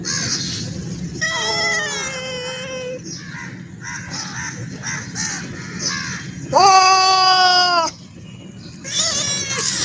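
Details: Black cat meowing close up: a drawn-out, wavering meow near the second mark, a louder rising-then-falling meow around six and a half seconds, and a third starting at the end, over steady low background hum.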